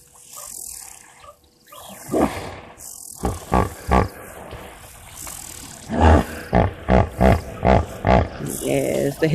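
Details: At an African waterhole watched by live wildlife cameras, where elephants and guinea fowl come to drink, a hippopotamus gives a series of deep, wheezy honking grunts, about three a second, after a man talks over the start.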